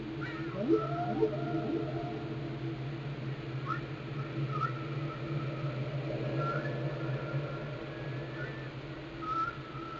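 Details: Whale song recorded in Glacier Bay, Alaska: drawn-out low moans with a steady hum beneath, short rising upsweeps and whistled tones near the middle register every few seconds, in a continuous underwater background.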